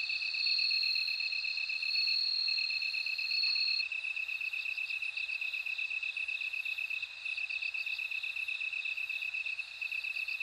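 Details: A bell cricket rings a loud, high, sustained tinkling trill for nearly four seconds, then falls quiet. A lower, rapidly pulsing insect chorus continues steadily throughout.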